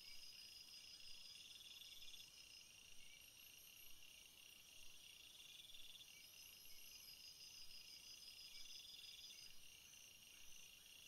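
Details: A field chorus of crickets, with continuous high trilling bands and rhythmic pulsed phrases recurring every few seconds, all over a faint steady hiss.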